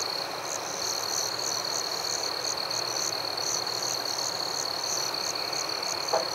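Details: Crickets chirp at night in a forest in a high chorus: a steady ringing trill with pulsed chirps repeating several times a second.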